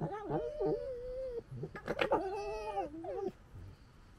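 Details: Fox cubs gekkering, Cub#6, the brave one, and Cub#5, the bully: drawn-out, wavering tonal whines, several overlapping, broken by a cluster of harsh, sharp bursts midway, then fading into quiet.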